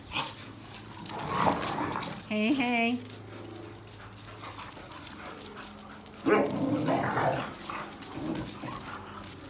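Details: Eleven-year-old American Pit Bull Terrier yelling at two younger dogs in a backyard during lockdown, asserting dominance; one wavering, harmonic yowl of about half a second, surrounded by scattered yelps, rustling and human speech.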